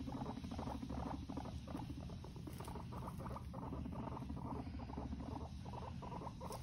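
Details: Guinea pigs shown fighting; continuous fast pulsed rumbling, stuttering bursts repeating several times a second over a steady low hum.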